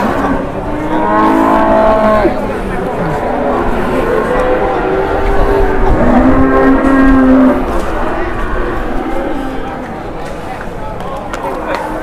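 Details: Cattle at the Pasar Ponabarawa livestock market in Indonesia; drawn-out low moos with layered harmonics around two and six seconds, set against steady crowd murmur, voices and market bustle.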